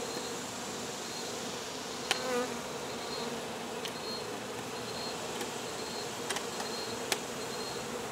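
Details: Honey bees at a hive removal produce a thick, steady buzz that holds level throughout, with several brief taps and clicks scattered over the swarm's drone.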